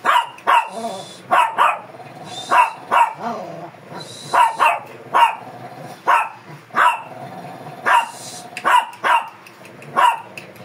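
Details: Shih Tzu described as fierce, barking while being groomed, Pangasinan: a long run of sharp, bright barks, roughly two per second in uneven pairs, steady and insistent, with faint background hum between them.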